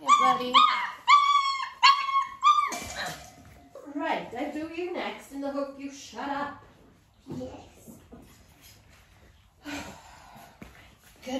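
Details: Nearly six-week-old Dalmatian puppies at clicker training, mother Arya with them, start with quick high yips and squeaky barks, then lower muffled whimpers, with human voices and handling noise filling the later part.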